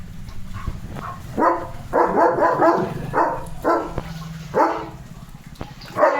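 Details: Leo, a German Shepherd, out in the rain, barking in a series of harsh, mid-pitched barks roughly every half second to second, with a man speaking Marathi nearby.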